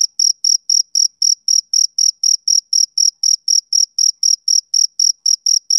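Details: Summer-evening chirping from a male cricket, a clean high trill of regular short pulses, roughly four each second, metronome-like and alone against silence.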